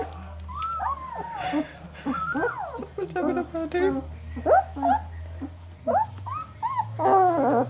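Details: Three 11-day-old Northern Inuit puppies, male, indoors, give repeated high whimpers and squeaks, arching and falling tones in short bursts, with a low steady hum underneath.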